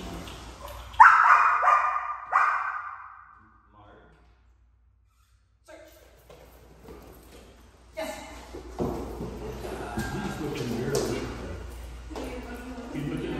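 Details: Puppy in Schutzhund training, learning to run the mini blinds at a dog training facility in Southern Oregon; loud, sharp barks burst out early and again near two seconds, then a silent gap, followed by scuffling, handling noise and talk.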